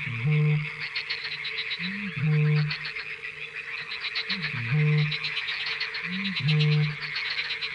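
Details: At night on fishponds in the Barycz Valley, Poland, a frog gives a deep, low croak about every two seconds, each starting with a quick upward bend, over a steady, higher pulsing chorus of calls.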